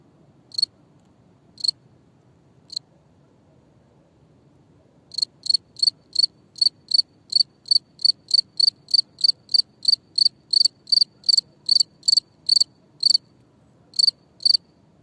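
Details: Cricket chirping, a clear high-pitched pulsed chirp repeated in bursts: three isolated chirps, a pause of about two seconds, then a steady run of chirps roughly three per second; quiet background otherwise.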